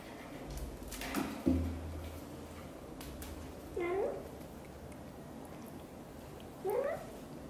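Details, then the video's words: Blue golden British Shorthair mother cat chatting as she grooms her small kitten indoors: two rising, slightly drawn-out meows about three seconds apart, following a soft thump and low hum in a quiet room. "Mother cat is talking nonstop and grooming her tiny kitten"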